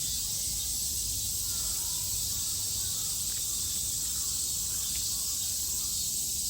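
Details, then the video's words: Cicadas in Japan during summer 2022: a steady, unbroken high-pitched buzzing hiss from a dense chorus fills the whole stretch, with no other clear sounds. "Sounds of the cicada [ Japan in summer ] セミの声"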